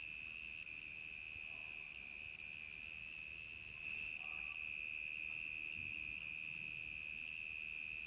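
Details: Many crickets chirp on a summer night, blending into an unbroken high, ringing trill with quieter upper tones, slightly louder midway, with faint low background noise.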